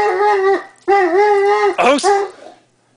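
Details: Dobermann whimpering in greeting to friends in a yard; two long wavering whines followed by a brief shorter cry, then quiet, with a brief voice-like sound mixed in near the end.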